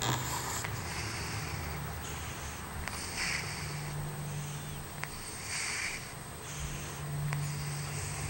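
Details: Izzy the cat snoring indoors: soft, breathy hissing snores rise and fade in a slow rhythm, about one every one to two seconds, over a steady low hum and a faint high whine.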